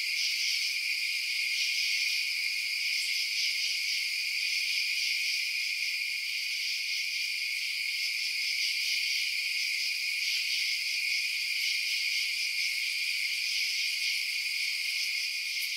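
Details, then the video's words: At night, crickets fill the air with a steady wall of bright, high trilling, several voices layered at different pitches, with no pauses and no deeper sounds beneath. "Night Sounds Crickets Chirping"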